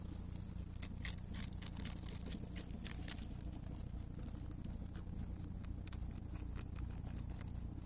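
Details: Okunoshima, Rabbit Island, June 2021: a rabbit eats cabbage with steady chewing, about two crunchy bites a second. A strong low rumble runs throughout.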